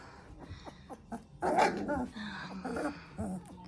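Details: Three-week-old Central Asian Shepherd Dog puppies from a litter in Oregon, indoors: a burst of rough, throaty growling and yelping mixed with short squeaks, while people talk softly in Russian nearby.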